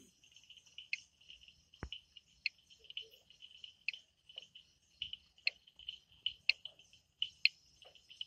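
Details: Frogs calling at night in the Amboli hills forest, Sindhudurg: a steady stream of short, high, bright chirping notes mixed with sharp dry clicks, irregular and overlapping like several callers, with a quiet background.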